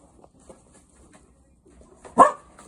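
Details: Gigi, a Cocker Spaniel, meeting guinea pigs for the first time on 25 July 2023, lets out one sharp, loud bark near the end after a stretch of quiet shuffling and faint soft noises.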